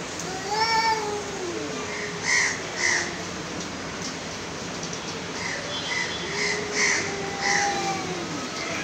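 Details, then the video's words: A pair of aggressive cats trading drawn-out wavering yowls, one long moaning call at the start and another swelling cry later, with short higher-pitched chirps and cries scattered between them. "Two nice looking aggresive cat meowing"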